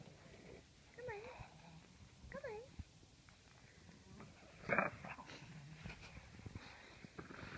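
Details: Pet dogs, Penelope and Duncan, being looked after over the Thanksgiving holiday, heard indoors: two wavering, high-pitched whines with a wobbling pitch, then a sharp clattering noise and softer rustling.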